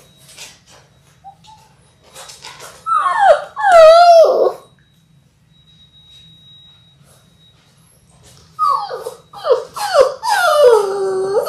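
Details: Litter of six Labrador Retriever puppies in their sixth week, filmed indoors live on February 28: two bursts of wavering, downward-sliding whines several seconds apart, separated by near silence.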